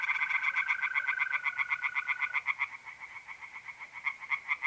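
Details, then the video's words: Tree frogs calling at night in mid-April by a pond in north-east Italy: rapid pulsed croaks in a dense chorus, with a steady high trill from mole crickets running underneath for the first half. "relaxing singing tree frogs in pond"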